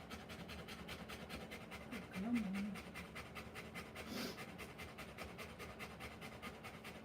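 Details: Rottweiler in labour, giving live birth to puppies: fast, steady breathy panting pulses run throughout, with a brief louder huff near the middle and a muffled background voice.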